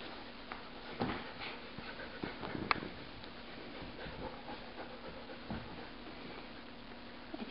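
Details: Cassie and Rylee, two dogs tugging on an old rope together indoors; quiet breathy panting and soft whimpers with scattered thumps and clicks, a faint human voice, and a louder bump at the close.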